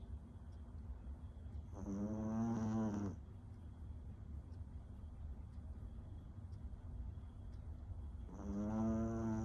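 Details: Small sleeping dog snoring, a drawn-out buzzing snore near two seconds and another starting at the end, separated by quiet low hum.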